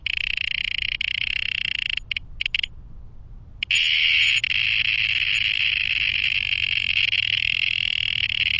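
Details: A loud, continuous, high buzzing drone from male cicadas, broken once by a brief pause. It is heard by day and spreads across the whole forest.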